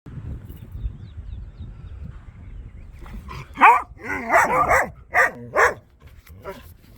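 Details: Dogs barking at a bare piece of ground: after three seconds of quiet, a burst of loud, harmonic barks, about six in close succession, some with a wavering, yelping pitch, then fading back to quiet.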